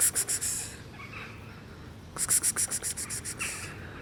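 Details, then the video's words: A black cat coughs in two bouts of fast, rasping, breathy hacks, the second longer and trailing off in strength, separated by a brief pause of quiet breathing. "Cute black cat coughs"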